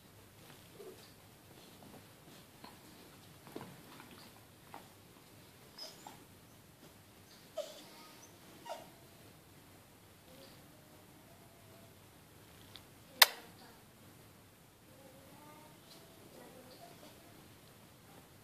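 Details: Smooth Fox Terrier named Ishot, indoors, whining and squeaking because he hears children playing outside and wants to join them. Soft, faint high whimpers come in short broken bursts with quiet breathing and a sharp click near the end.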